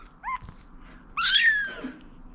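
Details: Foster rescue kitten meowing while waiting to eat chicken for the first time indoors: a brief high mew, then a louder strained meow sliding downward, with quiet room background.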